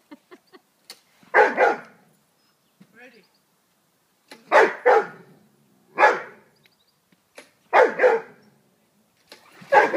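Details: Rhodesian Ridgeback Rain barking at a lawnmower: loud, rough barks in single and double bursts spaced a second or two apart, with quiet gaps and faint voices between.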